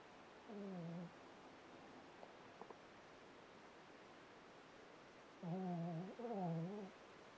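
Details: Seymour, a four-year-old Shih Tzu, adopted and nearly blind since birth, indoors at home: three short, steady-pitched whines with slight wavering, one near the start and two close together after a long quiet pause in a hushed room.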